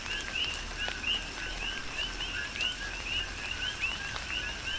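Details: On the Big Island of Hawaii, coqui frogs call through a tropical rain shower, giving rhythmic two-part notes, a low tone then a quick upward chirp, repeated several times a second by overlapping frogs, with pattering rain behind.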